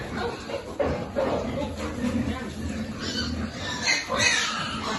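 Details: Piglets at a pig farm being fed, grunting and squealing in short bursts, with human speech and a busy feeding commotion throughout.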